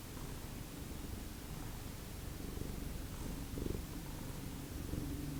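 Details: Domestic cat from the Lucky Ferals cat family purring indoors in the morning, a steady low rumble with faint swells, close to the microphone and no other clear sounds.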